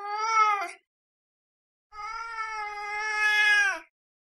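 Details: A cat gives two meows: a short one, then after a pause a long, drawn-out, steady meow that bends downward at its end, both clear against a silent background.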